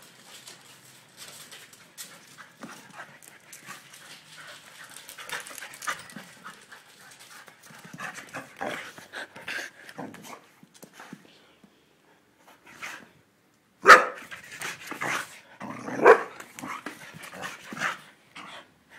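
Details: Duda, a happy pet dog, panting in quick, breathy, irregular puffs, soft at first and then louder bursts near the end, with a brief quiet gap partway through.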